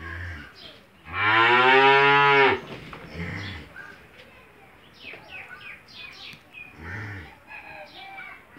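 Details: On a Bangladeshi farm, an Australian-breed cow with a day-old bull calf lets out one loud, full moo lasting over a second. Softer low grunts and faint bird chirps follow.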